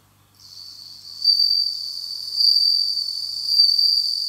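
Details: Bell cricket raised in captivity starting its autumn song: a high, clear ringing trill that builds in loudness after a quiet start and pulses about once a second.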